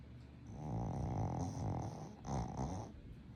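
A Boston Terrier snores in low, rattling, rhythmic breaths during sleep.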